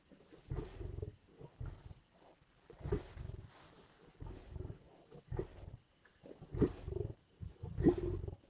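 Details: Lions growling and snarling while feeding at a kill in Indian bush: deep, rough, low bursts of irregular length, some swelling louder toward the end, separated by short pauses.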